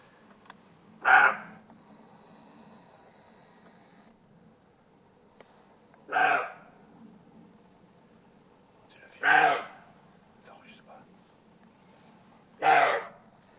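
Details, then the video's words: A roe deer barking in Alsace gives hoarse, abrupt barks, each spaced a few seconds apart. "Aboiement du chevreuil"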